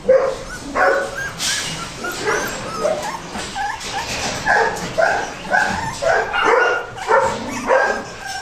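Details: Goldendoodle puppies, a Golden Retriever and Standard Poodle cross, readied for Christmas 2007, yapping in high, harmonic yips and short barks about twice a second, several voices overlapping with uneven spacing.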